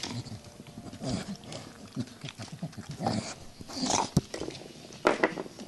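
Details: Two adult Staffordshire Bull Terriers and two tiny pups playing roughly together, low rumbling growls and snuffling grunts in irregular bursts, punctuated by a few sharp knocks and brief higher yelps near the end.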